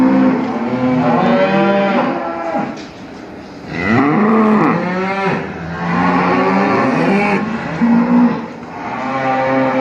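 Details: Cows mooing almost without pause, long rich lowing calls that swell, bend upward and overlap one another, with a steady background hum throughout.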